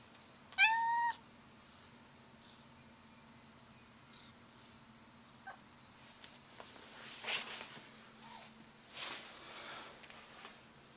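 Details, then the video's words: Noisy blue point Siamese cat giving one loud, harmonic-rich meow near the start that bends upward then drops; afterward an indoor room stays quiet apart from faint rustles, soft clicks and brief hissy noises. "Noisy Blue Point Siamese Cat"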